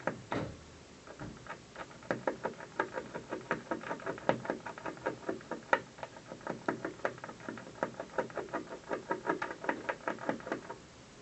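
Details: Afternoon gnawing by a squirrel at the windowsill of an office building: a long, steady run of fast, sharp scraping taps, several each second, that continues almost without a break.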